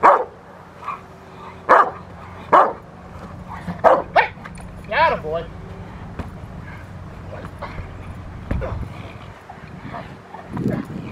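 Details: Rottweiler barking during protection work on the post, dated March 27, 2021: several loud separate barks in the first five seconds, then quieter voices and handling noise with a low steady hum.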